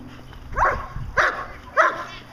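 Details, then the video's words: Fourteen-month-old German Shepherd Dog doing Schutzhund protection work gives three separate loud barks about half a second apart, each a short harsh burst, over low background rumble. "14 month old German Shepherd Dog Achilles Vom Darland Haus doing Protection work for Schutzhund"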